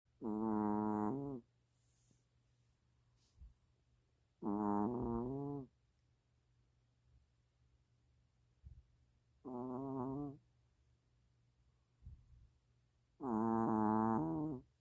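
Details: Mina, a long-haired Chihuahua, snoring in her sleep: four droning, harmonic-rich snores about a second long, spaced roughly every four seconds, with a steady low hum between breaths.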